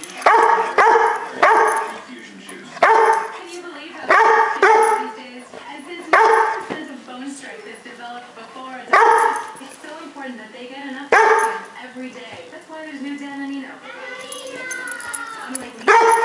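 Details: A female Weimaraner throwing a temper tantrum at not getting her way gives loud, harmonic barks and drawn-out, wavering whines in bursts every second or two, with a person's voice between outbursts.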